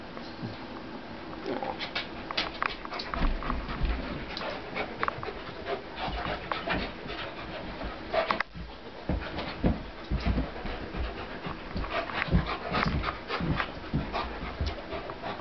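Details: Two dogs, a 75-pound pit bull and a roughly 150-pound German Shepherd, play fighting at home; broadband scuffling, panting and short growly bursts recur throughout, with thumps of bodies moving.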